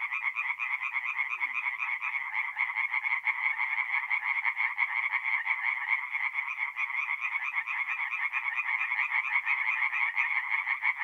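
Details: Nighttime forest pond in north-east Italy, mid-April: a steady wall of tree frog song, rapid grating croaks repeated about three times a second by many overlapping frogs, running unbroken for the whole stretch.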